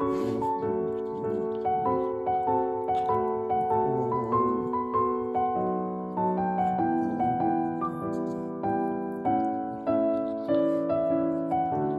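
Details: Gentle piano music plays throughout, with no animal sound.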